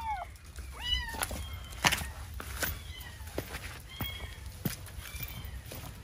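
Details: Kitten trapped inside the wall of a vacant house due for demolition, crying; several short high meows with rising-falling harmonic arcs, interspersed with sharp knocks and clatter over a low rumbling background.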